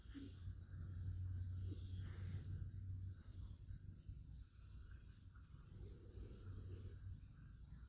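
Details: Rescued cat asleep using a person's arm as a pillow, snoring heavily; low rumbling snore breath drawn out over about two seconds, a shorter one near the end, under a steady faint hiss.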